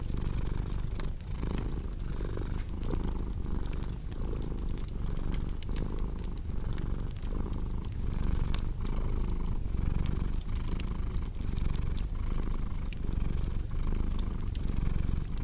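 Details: Cat purring loudly and continuously, a deep rumbling buzz pulsing with each breath, while a fireplace crackles and pops in the background.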